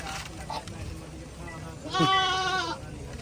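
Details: Goat at a goat market in Mullanpur, one wavering bleat near the middle of the clip with stacked harmonics, over crowd chatter and background noise.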